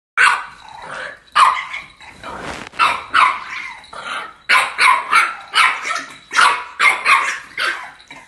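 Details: Two female French bulldogs in a playful back-and-forth with their owner, giving about fourteen short, grumbly, half-barked vocal bursts over eight seconds, each rough and throaty, in an irregular talking rhythm.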